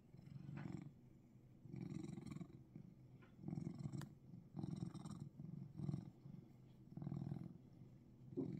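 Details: A Russian Blue cat in Seoul, Korea, gives a deep, continuous purr, its low rumble swelling in soft pulses a little over a second apart with each breath, quieter stretches between.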